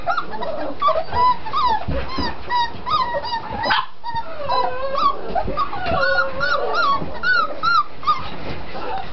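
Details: Six-week-old puppies from one litter whimpering and squealing: many overlapping high, wavering whines and short yips, some rising and falling, with a brief loud burst near the middle; a person speaks quietly nearby.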